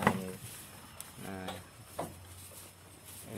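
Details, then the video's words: Female goat in heat, calling to be mated, in a farm pen; three loud nasal bleats rich in harmonics, one at the start, one near 1.3 seconds and a short one at 2 seconds, over low background noise. "CIRI-CIRI KAMBING BETINA MINTA KAWIN"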